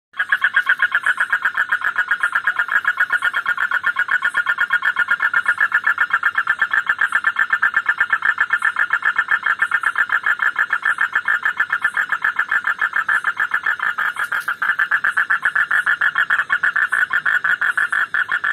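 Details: An Indian frog croaks in a rapid, steady stream of harsh pulses that runs on without a break. Finding: frog.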